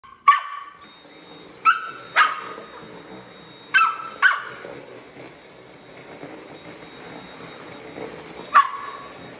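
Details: Casper, a Samoyed puppy, confronting a running vacuum cleaner indoors, lets out sharp high yappy barks singly and in pairs, about five across the stretch, over a steady appliance hum.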